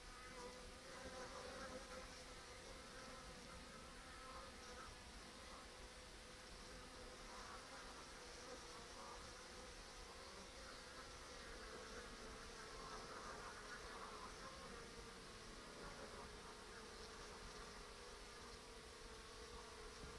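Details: Western honey bees crowd a restricted hive entrance behind a mouse excluder on 14 October in a steady, droning buzz of many wings; the colony is still raising brood and bringing in bright yellow ivy pollen.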